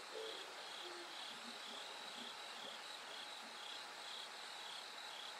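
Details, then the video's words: Bell cricket song at night, continuing until dawn as it gets brighter; bright, high chirps repeat in an even rhythm, with a couple of low hooting notes near the start. "bell cricket Cry of falling insects"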